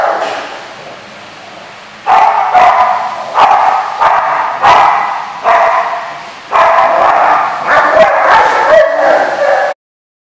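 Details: A dog gives a run of loud, harsh barks in bursts after a quieter opening of about two seconds. Some barks are short and clipped, others drawn out, and the sound ends abruptly.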